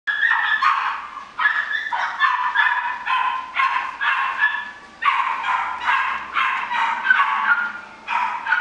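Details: An American Shorthair kitten at a pet shop mews in quick, high, insistent bursts, one after another.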